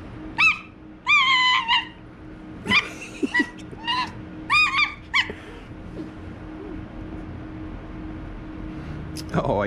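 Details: TYR, a pet white fox, attacks playfully, letting out short, strident harmonic yelps in quick clusters that fade toward the end, with brief human voice and a low room hum behind.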